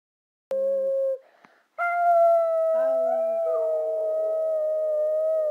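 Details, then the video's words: Abby, a brindle Boxer female dog, 'singing' on request: long sustained tonal howls holding a steady pitch, rich in harmonics, with a brief pause, then a drawn-out wavering note that slides slightly lower. A lower steady hum-like tone joins briefly. "Beautiful Brindle Boxer singing"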